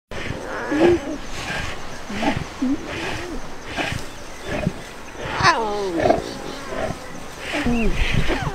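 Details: Lion (Panthera leo), begging whine: cubs protesting as their mother stops nursing.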